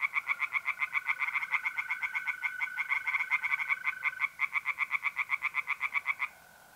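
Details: Pond tree frogs calling by night in mid-April, north-east Italy: a fast train of harsh pulsed notes, roughly four a second, that stops abruptly, leaving only the smooth continuous trill of mole crickets.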